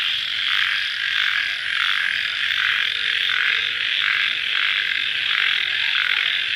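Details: Night-time cricket chorus heard just after rain, a steady shrill ringing wall of sound pulsing in gentle waves roughly every half second, uninterrupted throughout.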